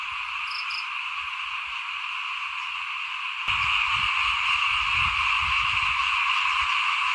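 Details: In front of a house at rice-sowing time in 2021, many frogs call together in a continuous buzzing drone that suddenly grows louder midway, with low rumbling beneath and two short high chirps early on.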